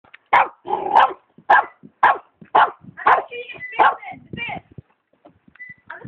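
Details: Ruby, a dog, barks at a kitten hidden behind a plant: short, harsh, mid-pitched barks about two a second, slowing and softening, with thin higher sounds, perhaps the kitten mewing, between.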